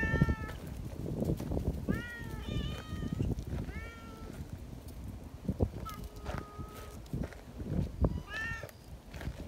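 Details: Affectionate neighbourhood community cats gather and call out in welcome, each wanting to be stroked too; a series of short, bent, harmonic meows come in quick bursts, with a steady held tone midway and rustling steps beneath.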